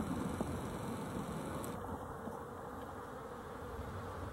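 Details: Steady droning of honey bees, 12-11-23, a thick low hum with a few soft ticks early on, otherwise even and continuous.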